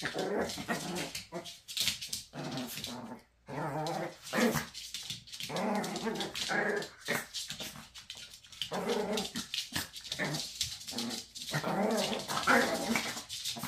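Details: Maltese mother teasing her son, answered by continuous rough growling and grumbling with snarly rises and falls, almost unbroken for about fourteen seconds, with a brief silent gap near the start.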